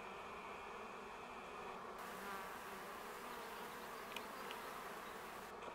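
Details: Wild honey bee colony nesting in a tree in Augsburg's city forest in May 2016, grown large after surviving winter, with busy flight traffic at a shaded spot near the ground; a dense, steady humming buzz with faint brief clicks.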